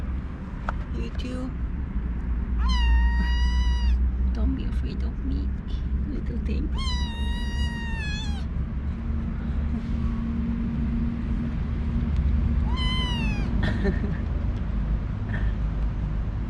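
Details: Talkative male kitten among newly arrived kittens in a kitten cage, meowing in the morning even after being fed; three long, high meows spaced several seconds apart, with a woman's voice and a low background drone.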